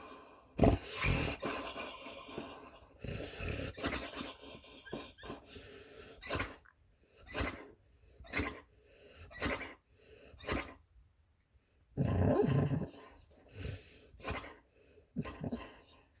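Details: Puppy snoring loudly while asleep, recorded May 13, 2020: a string of rhythmic rasping breaths roughly every second, with a louder, longer snore burst midway.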